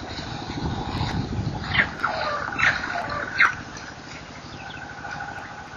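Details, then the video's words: Baby baboon squealing during an attempted snatch at NK on 23 September 2008; three or four short, sharp squeals between about two and three and a half seconds, over a steady idling engine rumble. "Squealing Noise /Snatch Attempt On Baby Baboon?"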